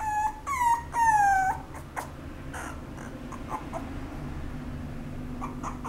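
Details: Apricot-coloured female Toy Poodle gives three clear high whimpers in the first second and a half, the longest slightly falling in pitch, followed by faint scattered sounds and quiet room noise.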